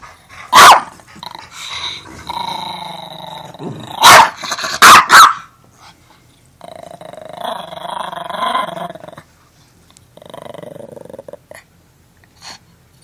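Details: Pet dog Armani, fiercely guarding even an empty Beneful dog food bag, mixes sharp barks and a rapid double bark with drawn-out, rumbling growls that rise and fall in waves.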